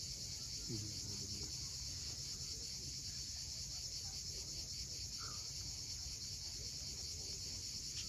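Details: High, seamless buzzing of cicadas at sunset on Crimea's steep coast at Cape Fiolent, with waves rumbling softly below and a couple of short, faint bird calls.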